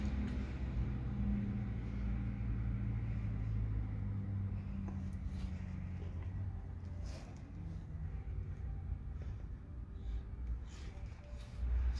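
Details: No animal is heard, only a steady low rumble of vehicles with faint indistinct background noise.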